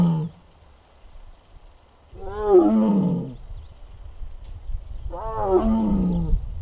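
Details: A six-year-old captive tiger in the Tiger Forest at Bonghwa, filmed on the afternoon of 24 April 2026 and making strange sounds as if unwell. Two drawn-out, moaning roars falling in pitch, each over a second long, about three seconds apart.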